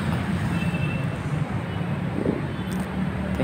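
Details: Loud roadside traffic rumble with passing vehicles and faint distant voices, no animal call heard.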